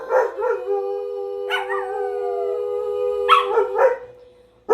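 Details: Pet dogs howling and barking: a long steady howl near 500 with rich overtones holds for about three seconds, broken by short sharp barks at the start, middle and end; several voices seem to overlap.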